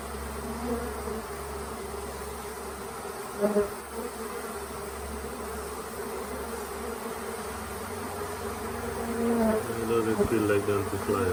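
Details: Late-season honey bee swarm at the Tamarind Tree Hotel, unsettled about staying in a nuc box: continuous mid-pitched droning buzz, briefly broken by a couple of short knocks and swelling louder toward the end with faint voices.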